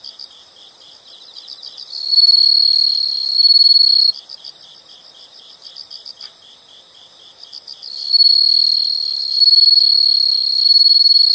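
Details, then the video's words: Insects calling in a calm nature setting; quiet rapid chirps alternate with bursts of loud, sustained high-pitched trilling lasting a few seconds each. "the sound of insects"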